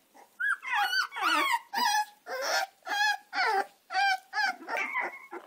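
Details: Two American Staffordshire terrier puppies, Gina and Zeus, cry insistently with loud, shrill, wavering yelps and whines, roughly two per second, each call a strained, tremulous note, filling the whole stretch without pause.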